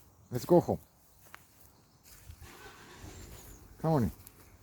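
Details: Bengal kitten out on an outside walk, giving two short arched meows, a double-pulsed one early and a single one near the end, with quiet outdoor background between.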